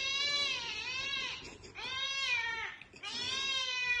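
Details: Cat uttering three long, drawn-out meows, each over a second, arching up then down in pitch with short pauses between, rich in overtones.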